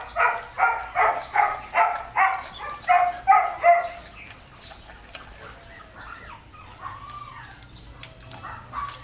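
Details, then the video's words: Excited male German Shepherd x Labrador mix at raw-chicken feeding time barks in an even, rhythmic series of about eight yips, then trails off into softer, wavering whines. "Lovely Exited German Shepherd x Labrador Mix (Male) Eating Raw Chicken 3/4 kilos"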